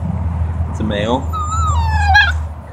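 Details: Siberian husky, one of a husky family with puppies in Oregon, gives a brief wavering whimper followed by a longer high whine that slides gently downward, over a steady low engine-like hum.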